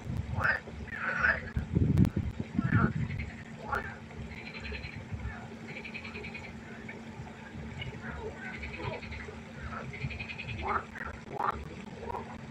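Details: Frog chorus at night by a pond: overlapping nasal, harmonic croaks from several callers, irregular and dense, with a few louder low thumps early on and a steady low hum beneath.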